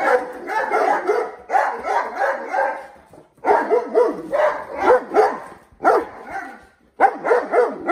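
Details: Several Mastiffs barking while playing with balloons: dense runs of deep, rough barks in quick bursts, with short pauses near three and six seconds before the barking resumes.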